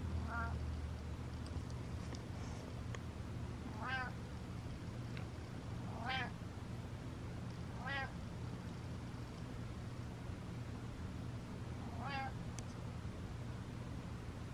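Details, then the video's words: Butters the cat meowing in a series of five arching, harmonic meows at irregular gaps, a few faint clicks and a steady low hum behind. "Lot of Meows"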